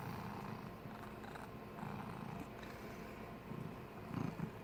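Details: Cat snoring: a low, rough rumbling pulses on and off throughout, with a slightly louder breath near the end, over a faint steady background hiss.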